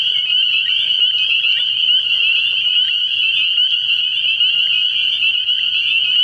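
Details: A frog pond at night in early spring, packed with spring peepers whose shrill, high-pitched peeps merge into an unbroken, even ringing chorus; faint low sounds sit far beneath.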